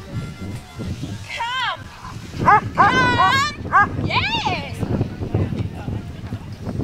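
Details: Gabriel the Poodle at the MBKC agility trial, where he qualified for Nationals: a quick series of high, sharp yipping barks in the middle seconds, over ongoing human talk and outdoor background noise.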